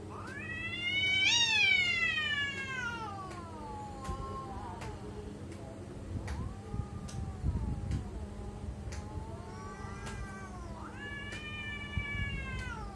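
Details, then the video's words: Domestic cats making weird sounds: loud drawn-out harmonic meows, the first rising then sliding down over about three seconds, followed by softer wavering mews and a final rising-falling cry, over a steady low hum and faint clicks. "Why My Cats are making weird sound?"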